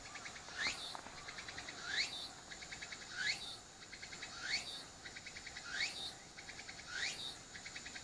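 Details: Cicadas calling, captured with an apeman A80 while the pet dog Shiro keeps noticing them. Upward-sliding shrill notes come roughly every 1.3 seconds, each followed by a quick train of ticking pulses, steady and rhythmic.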